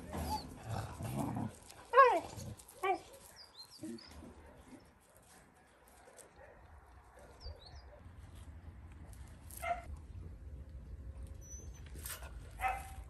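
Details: Dog at a rescue keeping Caucasian and Mioritic shepherds alongside strays. Early on, loud rising yelps and whines come in short bursts, then a few barks. After that there is a long quiet stretch with faint bird chirps.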